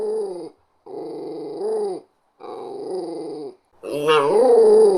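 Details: Westie Terrier, a small dog, growling: three steady low rumbling growls with brief pauses, then a louder growl that rises into a whiny, higher-pitched snarl.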